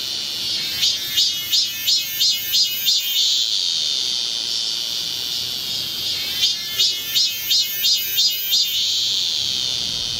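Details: Cicadas singing in midsummer at Galsan hill, Gocheok-dong, Seoul, heard as cool and clear: a run of shrill pulsed bursts, roughly three per second, merging into a steady high buzzing drone, then pulsing again.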